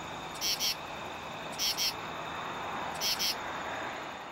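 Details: Male common true katydid calling for females, found by chance at a highway exit ramp and recorded handheld by flashlight; three raspy two-pulse bursts, each pair of harsh clicks repeating about every 1.3 seconds over a steady hiss.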